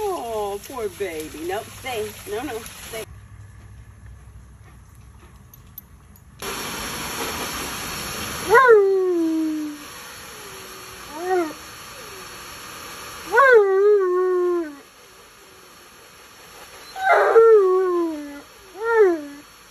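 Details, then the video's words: Alaskan Malamute Tonka protests during his bath. Human talking comes first, then a stretch of running-water hiss. Short, sharply rising-then-falling yowls follow, repeated several times with pauses. "Mad Malamute Speaks English While Complaining During His Bath"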